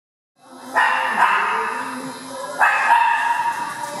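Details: Dogs at play in an indoor dog park, including foster dog Cisco, Harley and an Italian greyhound, filmed on a Lumix. Two loud barks, near the start and after two seconds, each ringing on with a long echoing tail.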